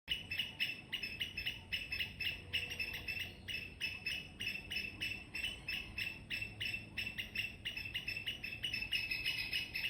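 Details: Squirrel chirping loudly in the morning: rapid, bright chirps tumbling out about three to four per second in an uneven run, with faint low background rumble.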